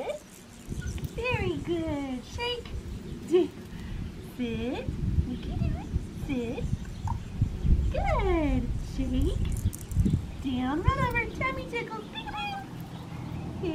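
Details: Red tri female Australian Shepherd puppy from a breeder licensed in Oklahoma whines in repeated high, downward-sliding cries, several in quick succession, while a woman gives obedience commands and praise indoors.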